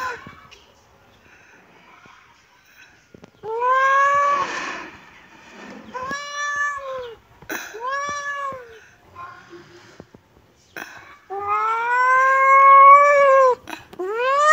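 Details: Kitten meowing in a quiet room: a few arched, plaintive cries spaced a second or two apart, then a longer, louder drawn-out meow near the end.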